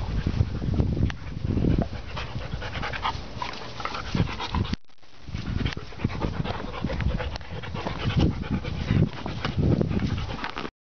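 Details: German Shepherd dog panting close up: rapid, breathy, rhythmic puffs of air that run steadily, broken by one brief pause midway.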